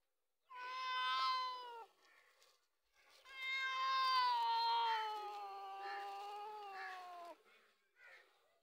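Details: Domestic cat squabbling with a dog over milk: a drawn-out wailing meow of over a second, then a longer four-second yowl that wavers and slowly falls in pitch, with faint scuffling sounds between and after.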